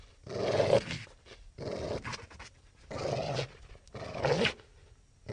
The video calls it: Wolf Growl/Snarl Sound Effect